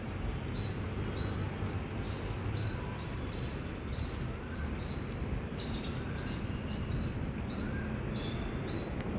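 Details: Shrill chirps from an Indian squirrel repeated rapidly in runs of clipped high notes, with a strong low hum of background noise underneath.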